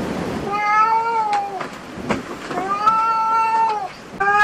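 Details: Cats at a cat cafe calling with long arching meows, one near the start and another from about 2.7 s, punctuated by small clicks and taps, with a third meow beginning at the end.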